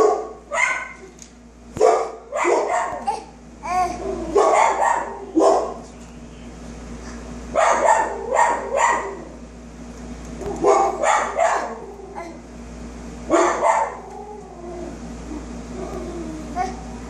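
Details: A dog gives clusters of sharp barks, two to four at a time separated by short gaps, roughly twenty per minute and irregular, over a constant low electrical hum.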